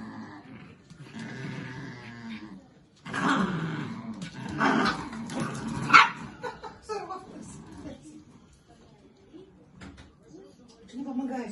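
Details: Chihuahua from a kennel, indoors, making low growls and short grumbling vocalisations, irregular and intermittent, mixed with a person speaking and some background music.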